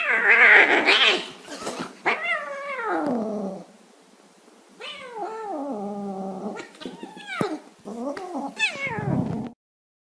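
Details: Affectionate, wheedling domestic cat giving a run of drawn-out meows, each starting high and sliding down, with short gaps between calls and a rougher, louder cry at the start.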